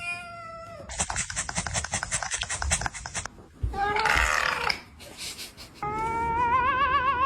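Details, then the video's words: Cats in a funny compilation: a steady tone, then a fast rhythmic pulsing noise of about four beats per second, a loud harsh burst, and finally a long warbling, wavering yowl. "Funny Cats Noise"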